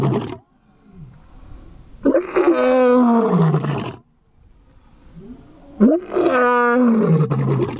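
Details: Male lion at LIONSROCK Big Cat Sanctuary starting a chorus of roars that other lions answer; two powerful, deep, drawn-out roars about two seconds each, falling in pitch, separated by a short pause with low grunting.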